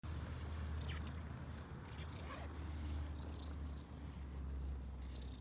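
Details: Stray ginger and white female cat, just found and given food, happy at seeing people; low steady rumbling purr running throughout with faint rustling above.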